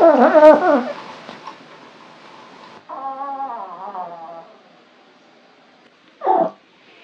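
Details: Orange male Maine Coon named Foxie, stretching at home, gives a loud wavering, howl-like yowl that bends up and down in pitch, then a softer quavering moan, and a brief low grunt near the end.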